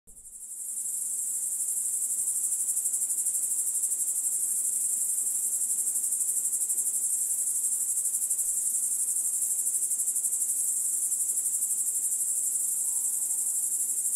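A grasshopper's high, steady buzzing trill runs on without a break.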